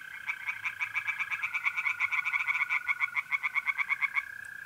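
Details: Night chorus of tree frogs in a pond, north-east Italy, mid-April: a loud run of fast, evenly spaced croaking pulses over a continuous trilling of mole crickets, ending abruptly.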